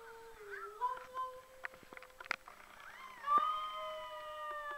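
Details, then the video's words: Australian Shepherd puppy giving wavering howls, first dipping and rising, then after a short pause a sustained, clear, slightly rising howl to the end, with faint clicks and thumps between. "howling Aussie puppy"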